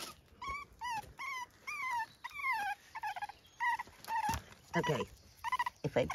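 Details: Puppies on an Irish farm in County Kilkenny, around 6 a.m., give quick series of short, high, whining chirps that arch and fall in pitch when they meet a step they cannot climb.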